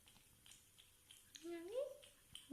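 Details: A Siamese cat that loves hot water gives one drawn-out meow that rises and then falls, with soft speech nearby.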